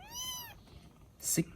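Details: A rescued baby kitten in Vietnam, one of several resting after eating, gives a single thin rising-falling mew, followed by a short click or thump and a man's voice.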